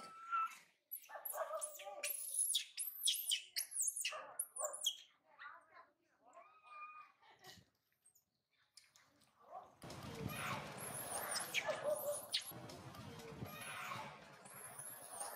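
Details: Spoiled baby monkey cries as its mother goes far away for food, then runs to its older brother, who rejects it. Bursts of high, wavering squeals and whines, then a noisier stretch with rustling.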